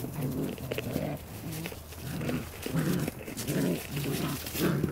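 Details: Playing Border Collie puppies growl in short, low, throaty bursts, each a rough harmonic rumble lasting under half a second, repeated about every half second with small scuffles between.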